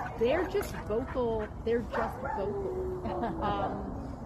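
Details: German Shepherd meeting friends at a playground, happy; high yelping whines and short yips rising and falling, then a long drawn-out whine, mixed with human voices.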